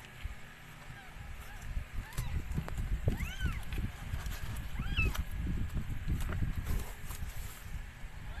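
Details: Rescued stray cat giving birth to four kittens; a few high, thin, arching mews rise and fall over steady low rumbling and handling noise.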